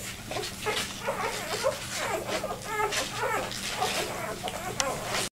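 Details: Newborn vizsla puppy, two days old, separated from the litter and trying to find its mother, lets out a run of wavering high-pitched whines and squeals, rising and falling, with light shuffling noise behind.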